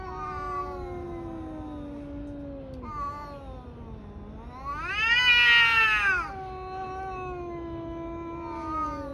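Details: Caterwauling from two tabby cats fighting: a drawn-out low growling wail that dips and rises, erupting into a loud harsh yowl mid-way, then settling into steady moaning again.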